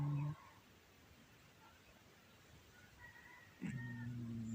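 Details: Pet cat Shakirah snoring loudly on a Samsung Galaxy A10s recording: the tail of one deep droning snore, a quiet pause of about three seconds with faint room sounds, then another low, steady snore begins.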